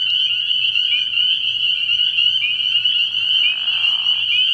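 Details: Dense chorus of spring peepers from a frog pond at night early in the year, a relentless high piping ring of overlapping calls, with a brief muffled rushing sound near the end.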